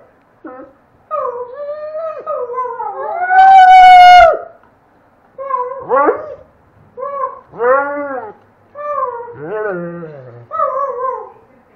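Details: Red the Doberman howling and chatting with a child howling in the background; short bending howls and yelping syllables come in bursts separated by gaps, with one loud, sustained, high-pitched howl early on.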